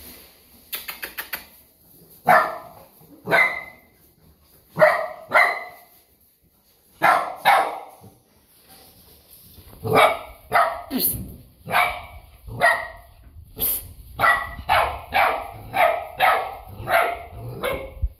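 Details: Two-month-old Golden Retriever barking repeatedly, about twenty short, bright barks in loose bursts, speeding into a steady run of barks roughly every half second toward the end.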